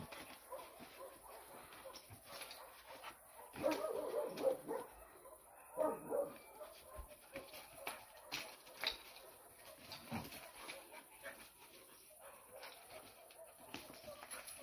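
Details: Two-month-old Bucovina Shepherd Dog puppy at play, giving short, rough yips and growly barks in bursts, loudest around the fourth and sixth seconds, with scuffling, clicking noises from the play throughout.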